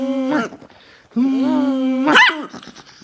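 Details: Angry dog giving a short tonal grumble, then a long steady moaning growl of nearly a second, ending in a sharp rising yelp-like burst.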